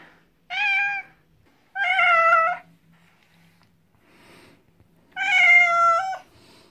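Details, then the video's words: Pet cat protesting before a veterinarian-recommended bath, giving three clear, long, steady meows, the last one drawn out and ending with a slight catch, in a small quiet room. "MEOW ! As I mewed before and during the bathing"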